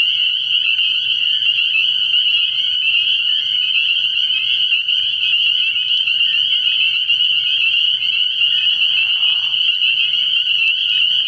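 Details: Spring peepers calling in a dense nighttime chorus at a frog pond early in the year: countless high, shrill peeps merge into a steady, ringing wall of sound that never pauses.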